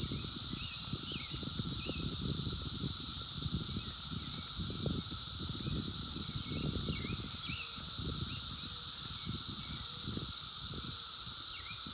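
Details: Chorus of 17-year Brood X cicadas in the wild, 2021, phone recording: a continuous high hissing drone and a steady lower tone, with faint bird chirps and a busy low rustle throughout.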